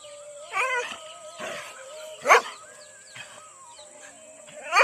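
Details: A Rajapalayam dog gives harsh, strained barks and whining yelps in short bursts, sounding angry, during a dog fight in an Indian village.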